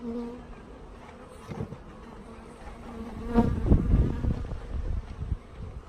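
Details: Package honey bees being installed into a hive, ready after transit: a steady low droning hum with a fainter overtone above, swelling midway through as knocks and handling thumps cluster together.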